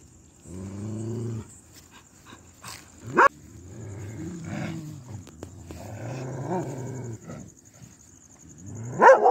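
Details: A Pomeranian growls low and rumbling between sharp, sudden barks, an aggressive warning.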